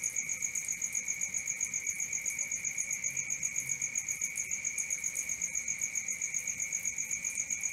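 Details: Unbroken shrill cricket trill after dark, quick regular pulses of two high ringing tones, with a faint low murmur partway through.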